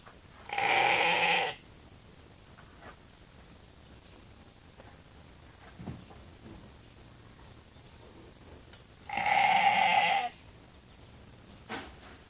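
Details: Sheep calling at the holding pen gate while waiting for evening grain at Nature Lane Fiber; two loud, sustained, nasal bleats about eight seconds apart, each roughly a second long, with faint shuffling between.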